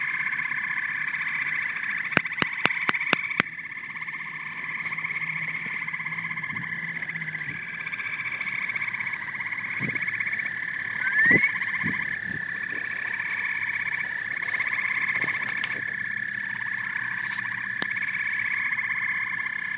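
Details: Frogs and toads in full chorus, rapid pulsed trills and croaks overlapping continuously, interrupted early by a quick series of sharp clicks and later by a few scattered knocks and a short rising chirp.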